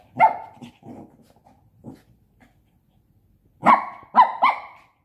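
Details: Five-month-old Shih Tzu puppy at play with a pop-up tent, letting out a sharp bark, some lower grumbling growls, a pause, then a quick burst of three high yaps.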